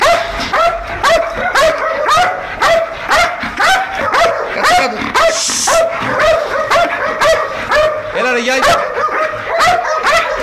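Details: Belgian Malinois guard dogs at an industrial area in Nauplion, Greece. Steady repeated barking, about two per second, continues while a man repeatedly calls the dog Ira in Greek, telling her to sit and calm down.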